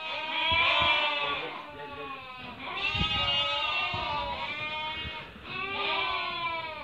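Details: Merino sheep in a flock for sale from Hungary, viewed by a buyer from Turkey: three long, quavering, nasal bleats, each lasting about two seconds with a short gap between them, with faint background voices.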